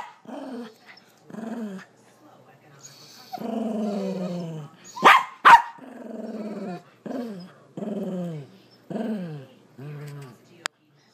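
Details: Frightened Bernedoodle whining at a blind mini-poodle: a series of about eight falling, nasal whimpers, each sliding downward in pitch, with two sharp clicks or knocks midway.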